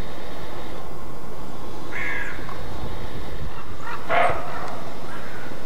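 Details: Roe deer barking in alarm (Schrecken) in Mecklenburg-Vorpommern, Germany: two coarse barks about two seconds apart, the second louder and harsher, over persistent low-frequency background noise.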